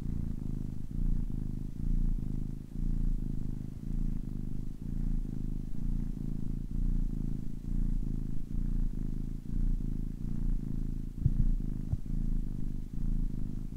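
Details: Steady low rumbling purr from a kitten ten weeks old, pulsing roughly once a second as it breathes in and out, continuous throughout with no other sounds.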